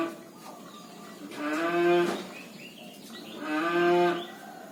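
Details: Cattle snoring: two drawn-out, low, harmonic groaning breaths, each lasting under a second and swelling in loudness, about two seconds apart, over steady background hiss.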